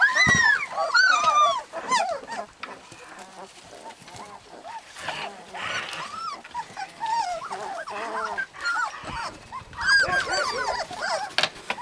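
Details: Several husky puppies in Lapland give bursts of high, arching whimpers and squeaks, loud at first, then quieter and scattered before rising again near the end.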